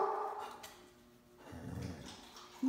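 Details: A Basset Hound that has been unwell and is now feeling better gives a drawn-out, mournful howl in protest, with a person speaking briefly.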